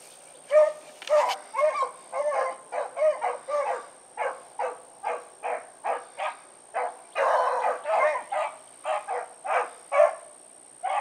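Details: Pack of four dogs, Choco, Dino, Johnny Ringo and Mingo, out on an evening run on 16 August 2014, giving rapid overlapping barks in quick succession, about two per second, over a steady high electronic whine.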